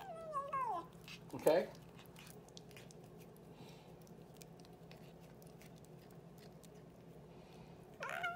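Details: Boots, a pet cat, talking in a small indoor room: a brief falling meow opens, a short harsh burst follows, then long quiet with faint clicks before another meow begins at the very end.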